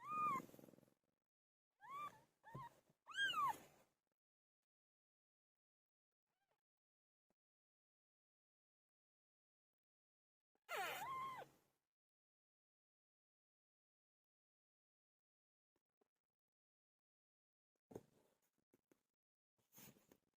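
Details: Cat Pilo, who gave birth, utters three quick arched meows at the start and a single drawn-out cry later, with long stretches of quiet between and faint clicks near the end.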